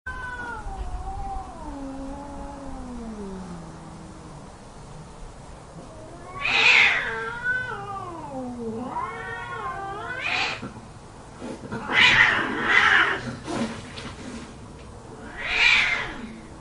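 Cats yowl and caterwaul in a fight, long wavering moans broken by harsh screeching bursts.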